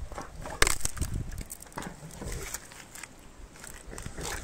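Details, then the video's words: Meri, an elephant, eating sugarcane: sharp cracks and crunching bursts as the cane snaps, with rustling between bites and a heavy low thud. "ASMR Elephant eating sugarcane พี่เมรีกินอ้อย"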